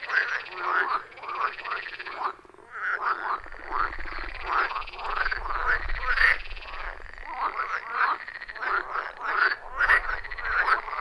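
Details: Chorus of frogs around a forest pond, recorded in real time on a phone with external microphone: loud rhythmic croaking with many overlapping callers, a brief lull near two seconds, faint low rumble underneath.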